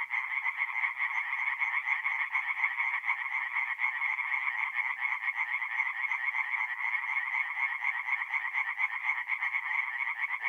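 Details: Night chorus of tree frogs at a forest pond, North-East Italy, mid April: many overlapping rapid pulsed calls form an unbroken, even, rasping drone throughout, with no other sounds.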